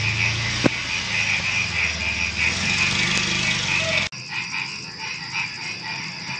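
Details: A pre-dawn night chorus of frogs and crickets, rapid bright croaking pulses overlapping in a steady, dense wall of sound.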